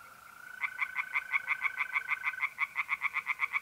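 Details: Tree frogs sing by night at a pond in north-east Italy in mid-April. Crisp croaking pulses build into a quick, regular train. A continuous mole cricket trill runs beneath and fades out near the end.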